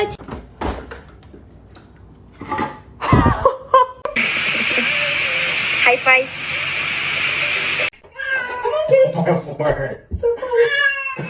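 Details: Domestic cats fighting: short strained meows and yowls open and close the recording, broken by a long harsh hiss-like burst of noise through the middle, with human voices talking over the scuffle.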